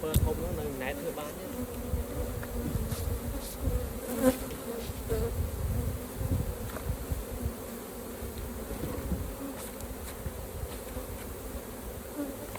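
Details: Honey bees at an open hive during a raw honey harvest by beekeepers: a steady, low droning hum of many bees with a second, higher layer of buzzing. Frequent low thumps and rumbles from hive handling and knocks run beneath it.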